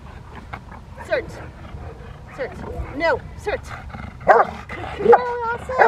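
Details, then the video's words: Rottweiler Freya vh Odom during protection training on November 21, 2021, preparing for IGP1 and Ztp; irregular sharp barks and yips mixed with a handler's spoken commands and a whip crack-like snap. "Rottweiler protection training"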